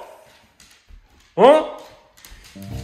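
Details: Female Samoyed being scolded for the first time by her owner, giving one short, loud, high whining yelp that rises then falls, surrounded by a man's scolding Korean speech.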